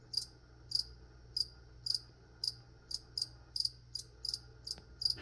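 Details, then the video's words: High, ringing cricket chirps, some doubled, repeat every half second or so while plants are sprayed for ASMR. A soft low hum continues in the background. "Spray and Chirp (some whispering | spraying plants | cricket)"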